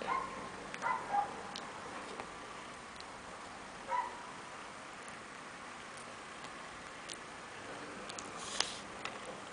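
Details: Chihuahua puppies playing, with a cluster of short, high-pitched squeaks near the start and another squeak shortly after, then mostly scattered clicks and light tapping sounds.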